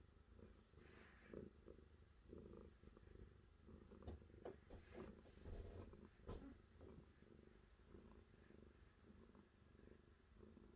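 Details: Domestic cat purring in a continuous low rumble, with scattered clicks and light handling noises through the middle.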